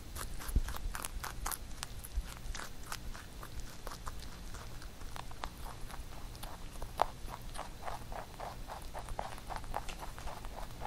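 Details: A pet rabbit eats carrot songpyeon made for Chuseok, nibbling and chewing with quick, crisp crunching bites repeating several times a second.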